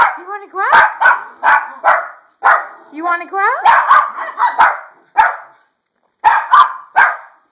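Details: Insistent dog wanting to go outside, letting out rapid loud yaps and short barks in quick irregular runs, with a couple of whiny rising yelps mixed in and a brief pause before more yapping.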